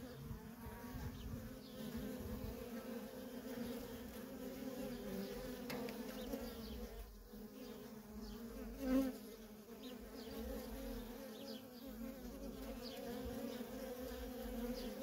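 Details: Nonstop worker honey bee traffic around a feral colony. A sustained, steady hum with a brief louder knock midway and faint high ticks scattered in the background.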